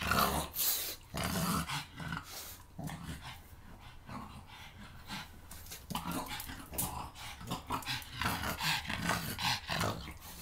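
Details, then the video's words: Pug attacking shampoo bottles indoors: a steady run of low, rough growls and snorts with quick yips, mixed with clattering and knocking of the bottles. "Cute pug attacks shampoo bottles"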